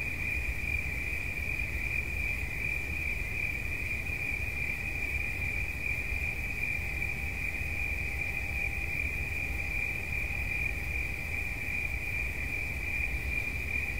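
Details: Continuous cricket song for relaxation, a bright, even, high-pitched trill that never pauses for fourteen seconds, with a faint low steady hum and background rumble beneath.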